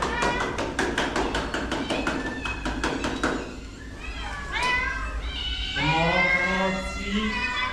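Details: Street cat in a rescue setting, with a vet visit coming and food promised: after a run of rapid taps and a person talking, several clear rising-then-falling meows follow in close succession near the end.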